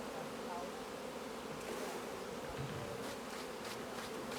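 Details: Honey bees in a busy hive while beekeepers harvest honey: a dense, steady, low droning hum without a break, with faint handling noises toward the end.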